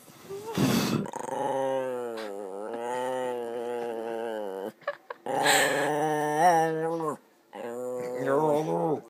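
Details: Dice, a pet dog, making weird noises: long drawn-out moaning howls in three stretches, wavering and sliding in pitch, separated by short breaks, with a quick noisy burst at the beginning.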